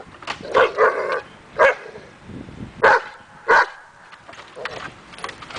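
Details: A dog in agitation table training to build confidence barks in short bursts; about five quick sharp barks over five seconds, the first ones doubled, with soft handling noise between.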